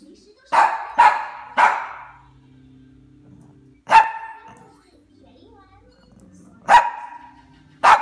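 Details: A hungry, angry Cavalier King Charles Spaniel gives sharp, loud barks, a quick burst of three, then single barks.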